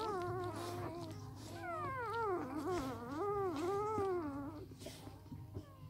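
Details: Samoyed puppies only three days old, from an A litter, squeal in a long run of bending, sliding whines that rise and dip rapidly before fading to quiet rustling.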